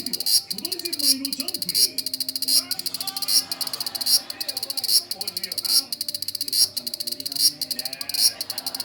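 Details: Sizzling, high-pitched cicada song from a large brown cicada, recorded 1 September 2020: a steady train of rapid buzzy pulses with stronger surges roughly once a second, and soft low-pitched voices or other sounds in the background.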